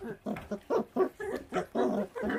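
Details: Feral dog puppy eating, abandoned by its mother after birth; short repeated growling bursts, about eight pulses in two seconds, each a grunting rasp.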